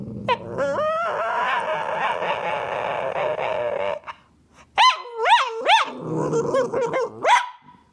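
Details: Male tricolour Cavalier King Charles Spaniel, a 'talking' dog, gives one long steady moaning whine, then a brief pause and a string of sharp rising-falling yelping howls and a final high upswept yelp.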